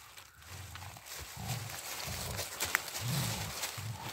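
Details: Two Rottweiler dogs in friendly play on a walk in the woods: low, rumbling growls in short bursts, repeated roughly every half second, with rustling and footsteps on the forest floor.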